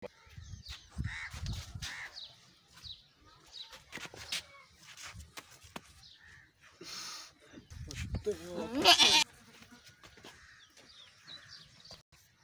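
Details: Goats mating on a farm, a small goat mating for the first time. A loud, wavering, quavering bleat comes near the end, among men talking in Punjabi, scattered knocks and rustling.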